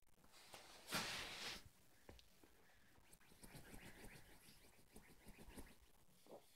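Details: Yorkshire terrier named Ronnie playing with his pillow and trying to destroy his dog bed indoors; a loud breathy snort of about half a second, followed by scattered soft sniffs and rustling of bedding.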